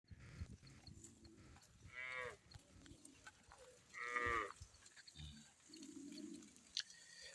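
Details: Cow at a cattle market (cow bazar) where sacrificial cattle are sold for Eid ul Adha. Two drawn-out, harmonic moos sound near the second and fourth seconds over a murmur of market background noise and scattered clatter.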